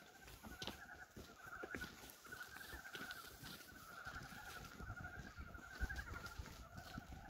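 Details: First frogs of 2023 calling on a farm on 19 February, a warm day, heralding spring: a steady, pulsing croaking chorus, partly masked by rustling, clicks and handling noise.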